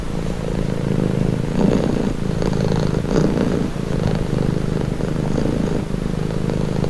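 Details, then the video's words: Domestic cat purring steadily and calmly, a deep continuous rumble with gentle swells in loudness and no other sounds. "Purring cat | Calming Relaxing"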